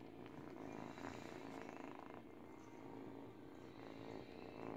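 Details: Brief stretch of an 8-week-old kitten's purr as she teethes on a baby blanket: a deep, evenly pulsing drone, with soft chewing rustles on top.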